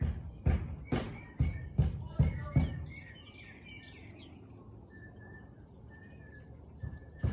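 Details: Siberian Husky barking at 4:17 pm on 13 March 2021: six sharp, deep barks in quick succession over the first three seconds, then quiet with birds chirping in the background.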